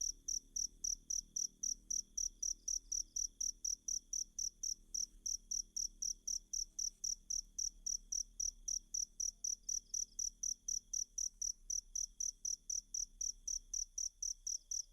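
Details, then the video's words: A cricket chirps continuously at a fast, even pace of roughly four high, clicking pulses per second, offered as tutor material for a singing magpie-robin; a faint constant tone and low hum sit underneath. "Ajari Kacer Mu Dengan Tonjolan Suara Jangkrik"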